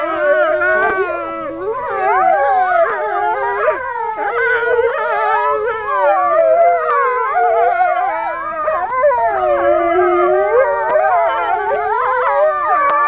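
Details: Captive male wolves at Kolmården Zoo, Sweden, in January 2007, howling as a pack: many overlapping voices glide up and down in long wavering notes, a dense continuous chorus with occasional yips.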